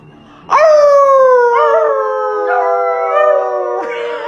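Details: Dog giving one long, sustained howl that begins abruptly, holds a steady, slowly falling tone with rich overtones, then wavers with small rises and dips before ending; no other sounds compete.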